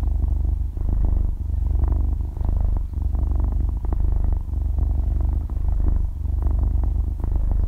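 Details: Half-year-old kitten kneading and sleeping while purring, close stereo recording without speech or music; a rich, motor-like vibration in low pitch, rising and falling in regular breath-paced waves throughout.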